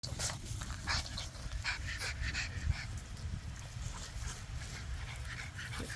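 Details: Thirteen-week-old male French bulldog puppies panting in quick, breathy, rhythmic bursts over a low rumble of background noise.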